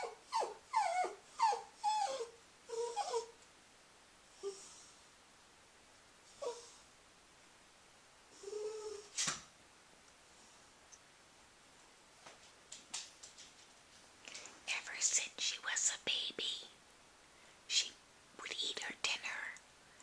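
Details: Scruffy, a female Cairn Terrier with her stuffed hedgehog toy, whines in quick repeated yelps at the start, then gives sparse single whimpers, ending in a burst of rapid, noisy whining and scuffling.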